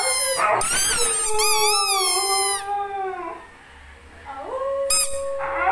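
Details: A Siberian Husky "sings", howling in long, wavering, tonal notes that bend up and down in pitch.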